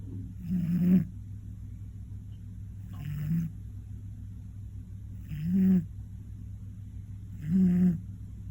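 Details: Koron, a one-year-old male Scottish Fold, snores heavily during a daytime nap: four deep, grating snores about two and a half seconds apart, each ending in a slightly higher rasp, over a steady low hum.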